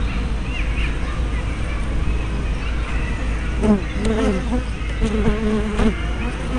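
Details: Hive entrance activity of honey bees, 24 May 2012, spy cam with fisheye lens: repeated low, droning buzzes of bees flying close by in the second half, over a constant low hum.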